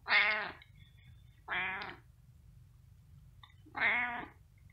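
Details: Cat meowing insistently: three loud, harmonic, slightly wavering meows, each about half a second long, spaced one to two seconds apart, with quiet low hum in the background.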